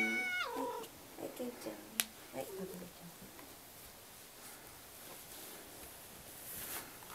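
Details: Pet cats demanding their breakfast, meowing for food indoors: a clear harmonic meow in the first second, then shorter softer mews and a sharp click, fading into quiet room noise.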